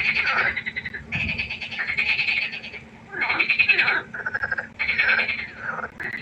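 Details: Croaking frogs by the pond at night, harsh rattling bouts about a second long repeating roughly every one and a half seconds, with brief lulls between, over a low steady hum.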